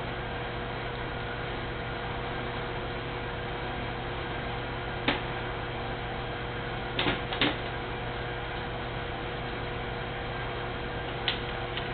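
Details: Constant electrical hum and hiss from a camera with a few brief clicks, and no animal voices anywhere.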